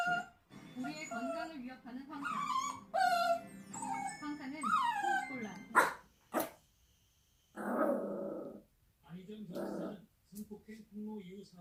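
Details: Young Bichon Frise puppy, under one year old, whining indoors: a series of high, thin, whistle-like whines that rise and fall in pitch over the first five seconds, followed by sharp clicks and short breathy noisy bursts.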